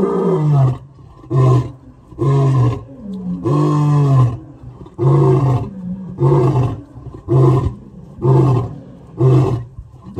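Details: A male lion gives deep, throaty roars and grunts, repeated about once a second in a steady series, recorded while comparing which of three big males roars loudest.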